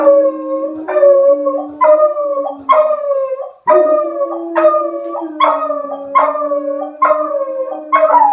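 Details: A Beagle and a German Shepherd howl together in response to a tornado siren, with long wavering notes rising and falling about once a second over the steady siren drone.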